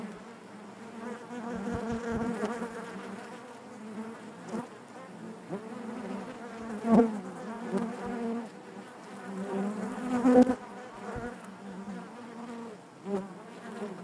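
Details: Inside a honey bee hive, the colony hums continuously, a low, rich buzz with overtones, rising and falling as single bees fly near, with loud close passes around seven and ten seconds.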